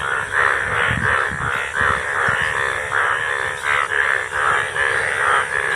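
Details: Indian bullfrogs during the monsoon rains give loud, grating caw-like croaks, about one to two per second, several frogs overlapping into a continuous noisy chorus with faint low thumps beneath.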